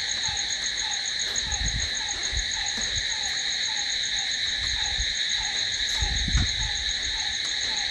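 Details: Night chorus of crickets, a steady shrill buzzing trill held throughout, with a short falling note recurring roughly twice a second and some low rumbling thumps in the background.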